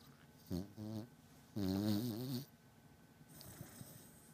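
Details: Sleeping pet beagle snoring loudly in deep sleep, two voiced, droning low snores with a wavering buzzy tone, the second longer at nearly a second, followed by soft snuffling sounds.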